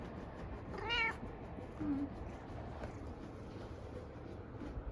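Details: Domestic cat described as burning with jealousy while another cat is held in a hammock, indoors; one short harmonic meow near the start, a faint low chirp after, then quiet room tone.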